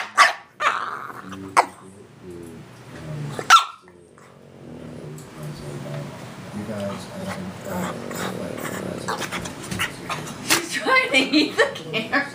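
A French Bulldog growls and snorts in rough play, with a few sharp barks, over a person's voice.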